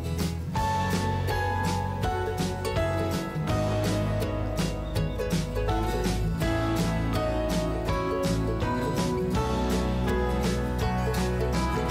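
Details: Steady instrumental music with guitar and a rhythmic beat runs throughout, with no animal sound to be picked out.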